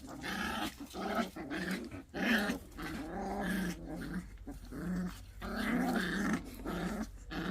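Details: Pungsan dogs in a fight over rank: continuous low, wavering growls and grumbling snarls over a steady background hum, with a few sharper yelping accents.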